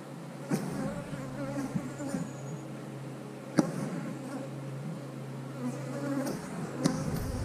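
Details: Honey bees at an eight-frame hive during a beekeeper's hive update, a steady low droning hum with layered harmonic tones, punctuated by sharp knocks and clicks from handling the equipment.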